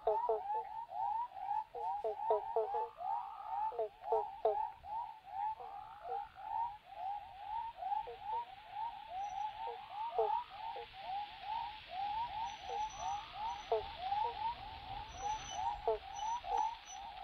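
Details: A chorus of male Western Spotted Frogs (Heleioporus albopunctatus) in the Shire of Dumbleyung, Kukerin area, south-east Western Australia, calls from underground burrows to attract mates: short, mid-pitched whooping notes overlapping steadily.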